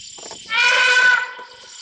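An elephant gives a loud, brassy trumpet lasting under a second, after faint human voices.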